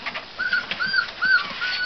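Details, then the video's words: American Pit Bull Terrier puppies, a litter of all males in a box: several thin, high whimpering squeaks in quick succession over rustling and handling noise. "american pitbull terrier puppies"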